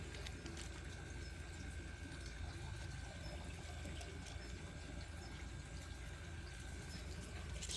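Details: Steady trickling, water-like rushing fills the clip with faint speech beneath; no animal voice stands out.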